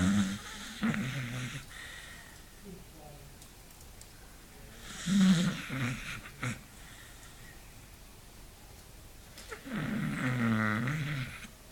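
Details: Beagle asleep and snoring, with rough throaty snores broken by pauses, a few clicks and soft indoor background noise between breaths.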